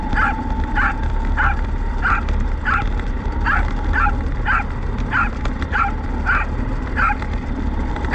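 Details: A steady string of about a dozen clipped, high-pitched barks from Roku, a domestic Corgi, as a remote-control car tows a field cart on a test run in November 2019. A continuous engine tone and low rumble run underneath.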